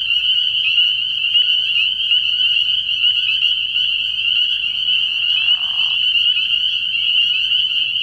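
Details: Spring peepers calling at night from a frog pond early in the year: a dense, continuous chorus of high, shrill peeps that merge into a steady ringing wall of sound, with a short lower croaking burst near the middle.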